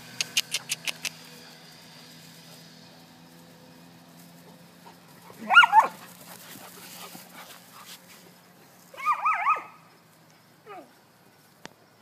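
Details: Four-month-old puppies at playtime at a Florida dog academy; two short high whining yelps, the second a wavering whimper, separated by quiet, after a few sharp clicks at the start.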